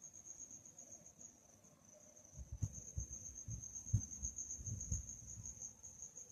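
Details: Nighttime cricket chirping, a continuous high, rapidly pulsed trill, joined midway by irregular low thumps and rumbling knocks.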